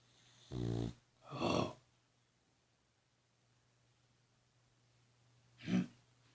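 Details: Snoring dog, a rumbling inhale followed quickly by a noisy, breathy exhale, then a long quiet pause before one short snort-like snore, with a low constant hum in the room.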